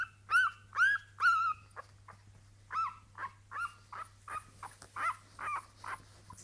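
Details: Two young female Staffordshire Bull Terrier puppies from one litter whine and yelp in short, high, tonal bursts that waver in pitch, roughly twice a second, over a faint, steady low hum.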